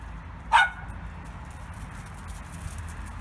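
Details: Dog barking at little birds: one sharp, short bark early on, then only low steady background noise.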